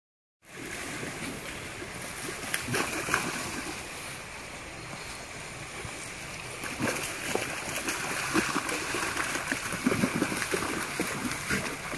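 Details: Continuous splashing and running water from a stream, with faint voices in the background and no animal call.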